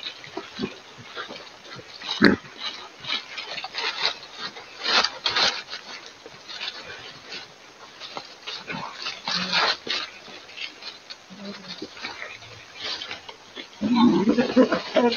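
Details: Wild boars mud bathing in the evening. Low, short grunts and snuffles are scattered among splashing and rustling noises, ending in a louder, rougher grunting burst.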